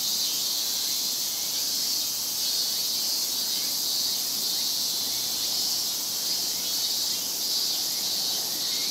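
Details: Many Japanese cicadas massed in summer chorus in Japan, a steady high, sizzling wall of sound with gentle pulsing swells and faint rising notes woven underneath.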